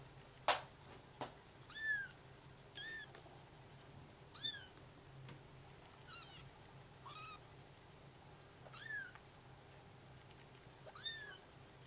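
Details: Bengal kittens calling for their mother while she takes a short walk; she hears and answers. Thin, high, arched mews, about eight of them, spaced one to two seconds apart over a faint steady low hum.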